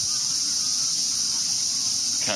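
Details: Cicadas droning in Ueno Park, Tokyo, Japan, in season: an intense, continuous high-pitched hiss with no breaks, and a voice cutting in only at the very end.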